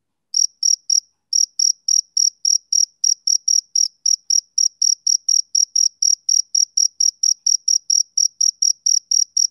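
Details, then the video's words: After a moment of silence, a male cricket on a summer evening starts chirping. A brief pause follows the first few pulses, then high, sharp chirps run steadily at roughly four per second with nothing else audible. "Cricket Chirping Sound Effect"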